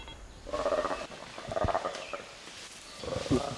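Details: Playback in a Ugandan forest of a black-and-white colobus's short, hoarse, nasal chimpanzee alarm call to feeding chimpanzees, which then set off to hunt.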